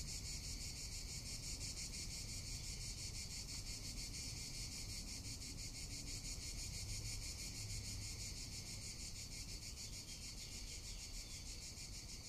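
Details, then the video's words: Cicadas in summer in Tuscany keep up a steady, high, rasping buzz with a fast pulsing throb, over low wind rumble. "Cicada or Cigarra - Sounds of summer in Tuscany"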